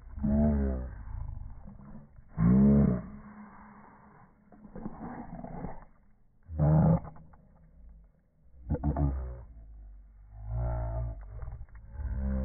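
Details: Two or more Boston Terriers contesting a ball, gumming each other: loud snarling growls rise in sharp bursts every few seconds, over continuous low grumbling.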